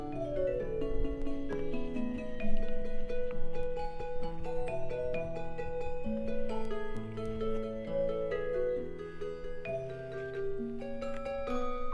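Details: Gentle mallet-percussion music, like vibraphone and marimba, plays over a bass line with no animal sound present.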